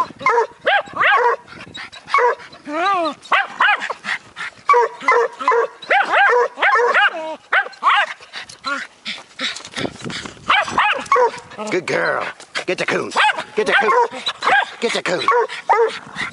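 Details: A Bluetick Coonhound pup barks at a raccoon with a Jack Russell. Dense, overlapping yips and barks come from both dogs, including one clear rising-falling yelp early on, with a man's encouraging voice throughout.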